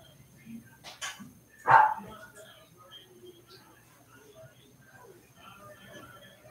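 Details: Cavalier King Charles Spaniel puppies playing indoors in a home puppy pen: one sharp, loud yelping bark stands out, with a couple of softer yips just before it, over a low steady hum and quiet room noise.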